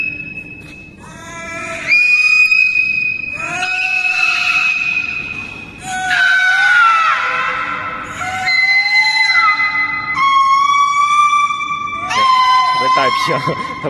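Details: Two captive aquarium belugas "sing" together, trading high, squealing whistles that slide up and down, with a steady low hum behind.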